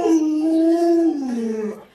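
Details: Luoluo, a pet Alaskan Malamute, howls in a single two-second tone. It starts steady and a little raised, then slides down into a lower, softer ending.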